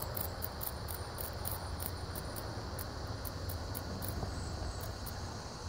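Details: Cicada buzzing in a front bush while caught by a praying mantis, recorded on a Samsung S5 phone; a continuous high, shrill buzz with regular bright pulses roughly three per second, over a low rumbling background.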